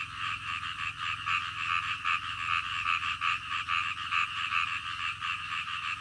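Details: Croaking frogs at night, separate buzzy croaks roughly every second rising out of a steady background chorus, accompanied by a faint low hum.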